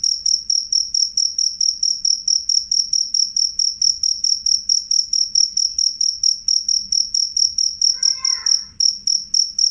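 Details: Loud, clear cricket song, a shrill high-pitched pulse repeated rapidly and evenly about four times a second throughout, with one brief faint lower chirp briefly overlapping near the end.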